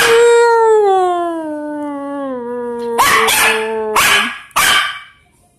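A Shih Tzu-Pekingese mix dog gives a long, falling howl, then a few sharp barks.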